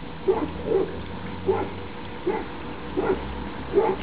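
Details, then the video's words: Labrador Retriever puppies of a 2011 litter playing outdoors on their final day together, 28 October 2011; brief yelping barks spaced roughly every half to one second, fairly even in pitch, with a faint steady hum behind. "Labrador-Welpen Outdoor (alle zusammen - letzter Tag - Teil 2)"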